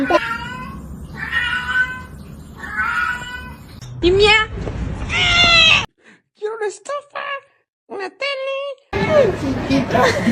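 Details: A kitten meows repeatedly, wavering nasal cries, some long and bending, others short and clipped in quick succession, with human chatter and room noise between them.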